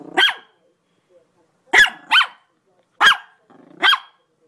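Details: A dog gives five sharp, loud barks, a single one, then a quick pair, then two more spaced about a second apart, with silence between.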